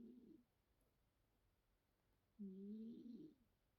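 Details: A sleeping cat snoring: a short nasal, droning breath at the start, then silence, then a louder, steady humming snore lasting about a second with a slight waver near its end; quiet room.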